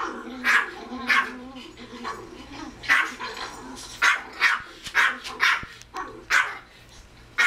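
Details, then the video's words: Small pet Pomeranian called Kozmo barking at a screen where a Pomeranian barks at a TV dog. It opens with a faint whiny tone under sharp yaps, then evenly spaced high barks follow. "Pomeranian barking at dog on tv"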